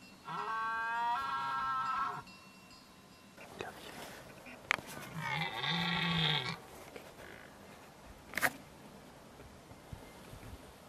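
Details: A red deer stag in the forests of Margeride, Lozère, France, gives two drawn-out, harmonic bellowing roars during the rut at the end of summer, in daytime.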